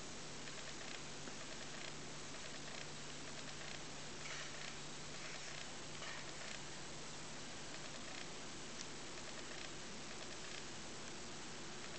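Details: Steady low hiss and faint rustling with a constant hum, with no animal sound.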